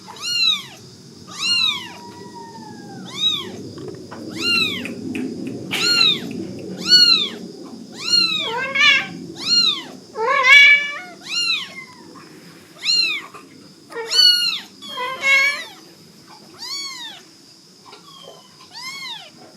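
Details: Country-house cats in Dorae village, South Korea, a mother and her kitten: a long run of high, arched meows, roughly seventeen a minute at uneven spacing, some doubled or overlapping, with faint low rumble beneath.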